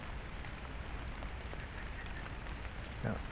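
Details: Steady rain patters on the ground with no animal voice. A low background rumble and a brief knock near the end are the only other sounds.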